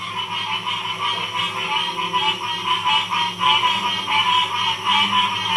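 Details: Dense frog chorus from Ocean Springs, Mississippi, 2016, a continuous overlapping wash of trilling and croaking voices with no single caller standing out.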